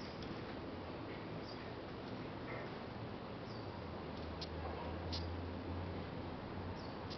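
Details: Death's head hawkmoth (Acherontia lachesis) in Singapore, an adult reared from a caterpillar in a garden, squeaking: brief high thin squeaks at irregular intervals over a steady loud hiss and low hum.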